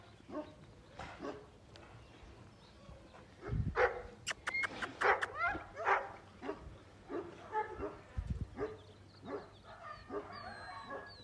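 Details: Black South African Boerboel pup giving short, irregular whimpers and yelps, some thin and high, spaced a second or so apart, while a woman speaks softly in German nearby.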